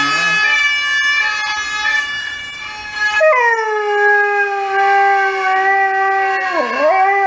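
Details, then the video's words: Saluki howling at emergency services sirens: a siren tone plays first, then the dog joins with one long sustained howl that gradually sinks in pitch and dips sharply near its close while the siren continues. "Saluki Howling at Emergency Services"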